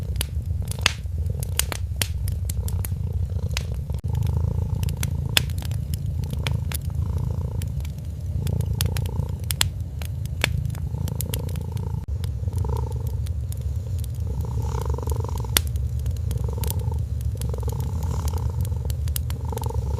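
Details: Kitten sleeping peacefully beside a crackling Christmas fireplace, giving a steady low rumbling purr that swells softly with each breath, while sharp pops and snaps of burning wood sound throughout.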